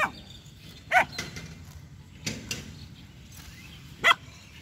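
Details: Two-month-old female German Shepherd puppy named Jass, aggressive and barking at a street dog and a buffalo. A few isolated sharp barks stand out near the start and end, separated by quieter outdoor noise and faint rustling.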